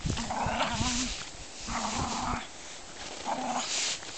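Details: German Spitz Mittelspitz pair Adonis and Dazzling Flash Cosmos at play, giving three drawn-out, wavering growl-whines, each lasting about half a second to a second, with hissing breathy edges and quiet gaps between.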